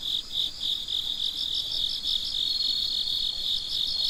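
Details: Crickets chirping in the middle of the night: short high pulses about three per second rise over a constant shrill background hum of other insects, evenly loud throughout.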